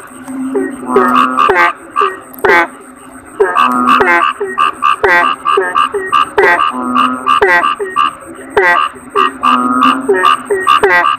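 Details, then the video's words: Toads, named kodok bangkong, keep up a busy chorus: clusters of quick, harmonic, twanging croaks alternate with brief pauses and longer humming notes, over a steady thin high-pitched tone. "Suara Kodok Bangkong"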